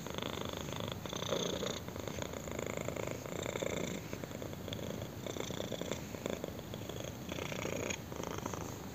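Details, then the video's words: Kitten purring intensely while enjoying a chin scratch indoors: a steady, rumbling buzz that swells and eases in breathing cycles about every second, with faint rustling close to the microphone. "KITTEN PURRS AND ENJOYS BEING SCRATCHED ON A CHIN"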